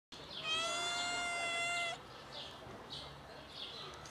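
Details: Cat meowing indoors while three kittens play with their black mother cat before eating: one long, steady, clear meow lasting about a second and a half, followed by faint scuffling and soft rustling sounds.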